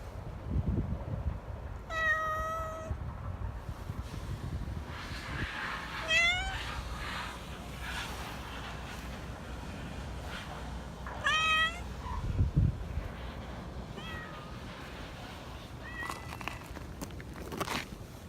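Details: Black Persian cat living in a park in Japan, very talkative, giving sweet, fawning meows: five clear, bright, rising-then-falling mews spread over the stretch, over a steady low traffic rumble.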